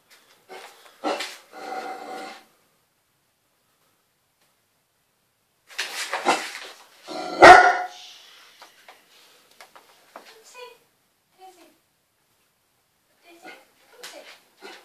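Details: Daisy, an 8-month-old Great Dane pup, indoors and going crazy at a scrunchy used in the bath: several short harmonic barks and yips in scattered bursts, one loud sharp bark near the middle, then quieter faint sounds and pauses.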